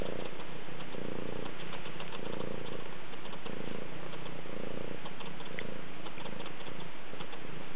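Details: Close-up purring of a rescue kitty: a deep, continuous rumble rising and falling in regular waves roughly every second, with no other sounds.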